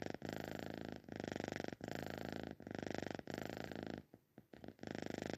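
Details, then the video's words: Domestic cat snoring in its sleep, a steady buzzing rumble that pulses in breaths of under a second, with a brief quieter pause near the end before the rasping resumes. "Best cat snore ever"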